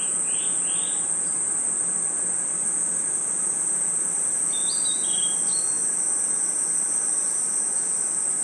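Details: Crickets trilling at night in a forest, a steady high shrill hum running unbroken, with two quick upward bird chirps early on and a short cluster of twittering bird notes midway.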